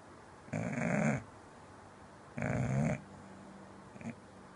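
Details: Sleeping English bulldog indoors, snoring loudly with two long, gravelly rumbling snores about two seconds apart, then a short, faint snort at the end, in a quiet room.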